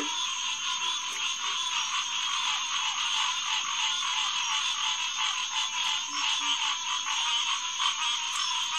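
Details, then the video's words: Massed Hyla cinerea calling at night in June 2021 at SMNWR's Headquarters Pond, reached by boardwalk off Lighthouse Road: countless overlapping nasal notes blur into a steady throbbing chorus, and faint deeper grunts come in now and then. "Green Tree Frog Chorus"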